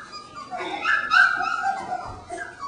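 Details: Three-week-old puppies in an enlarged pen with a crate and play area, whimpering and yipping; one louder rising whine peaks mid-clip among softer overlapping cries, with faint household sounds.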